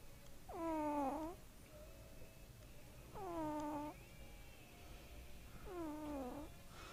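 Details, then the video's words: Snoring kitten asleep, giving three nasal, harmonic breath sounds roughly every two and a half seconds, each starting higher and sliding down, in a quiet room. "Snoring Kitten"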